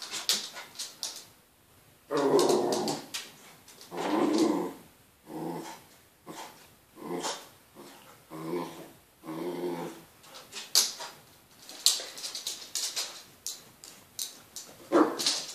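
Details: Wire-haired dachshund indoors, excited while watching dogs on Crufts on television, giving repeated growly barks and whines in bursts, with a person telling it to stop and get down.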